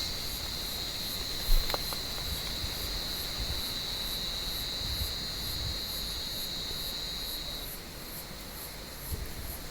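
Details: Cicadas in an olive tree on a warm evening, with cats hunting them: a thin, high, steady buzz heard against rustling and low background rumble, cutting off abruptly near the end.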